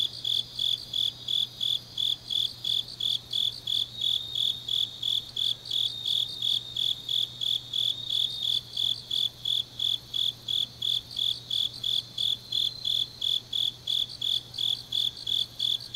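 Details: Night chorus of grass insects in deep autumn, Changnyeong, Gyeongnam: rapid high-pitched chirps pulsing steadily about three per second, with overlapping fainter callers adding a shimmering layer; a low steady hum underneath.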